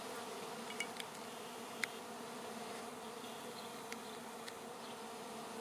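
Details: Airborne swarm of honey bees, later landing together on a branch to be moved to a new hive; an even, continuous hum of many wings holds steady throughout, with a few sharp clicks and ticks.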